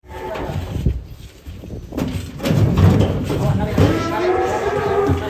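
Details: Giant cattle, described as raging while being fed and weighed, gives a low, hoarse, drawn-out moo building over the second half, mixed with thumps, background music and nearby voices.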